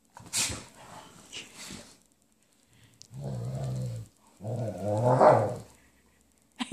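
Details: Golden retriever being playful and silly just after waking from a nap: two low, rough, drawn-out grumbling vocalizations of about a second each, the second rising slightly, following a stretch of a person talking.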